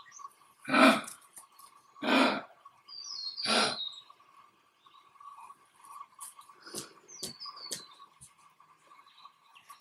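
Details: Australian male eastern grey kangaroo showing dominance: three rough, breathy grunts about 1.4 seconds apart, then quieter clicks, with scattered short bird chirps and a constant low drone behind.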